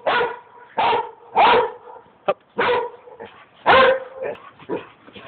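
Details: Dog giving a run of short, hoarse, yodel-like barks and whines, about seven bursts in five seconds, uneven in spacing, some with a rising wavering pitch.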